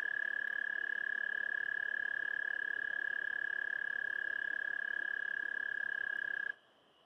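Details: American toad mating call (Anaxyrus americanus): a long, high, steady trill of rapid even pulses that runs unchanged for about six seconds, then stops abruptly, leaving near silence.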